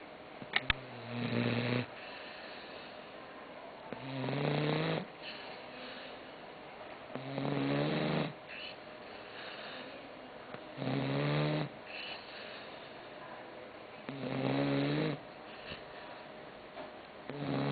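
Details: Croqueta, a sleeping dog, snoring steadily: each snore a rasping, throaty drone lasting about a second with a faint rising tone, repeated roughly every three seconds, quiet breathing between, indoors.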